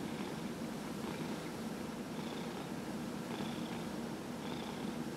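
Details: Continuous purring from Dillard, a 15-year-old cat treated for lymphoma, during a body massage indoors on November 27, 2018; an even, grainy rumble with faint airy surges roughly every second as the cat breathes.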